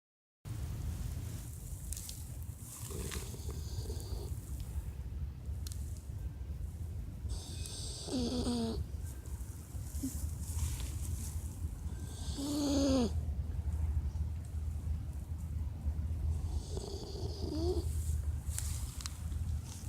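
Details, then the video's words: Sleeping dog snoring: a steady, deep rumbling drone throughout, broken by occasional high, whistling wheezes that bend in pitch, near eight, thirteen and eighteen seconds. "MY DOG'S SNORING"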